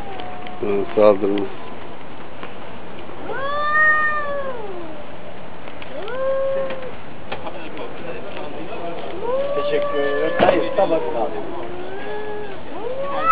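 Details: Two domestic cats fighting, one against the other: several drawn-out, wavering yowls that bend up and down in pitch, separated by short pauses, with a few sharp clicks and knocks in between.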